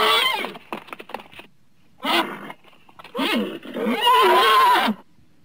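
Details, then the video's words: Several short choppy vocal bursts from a horse build into a longer quavering whinny with a wobbling pitch near the end. "horse sounds"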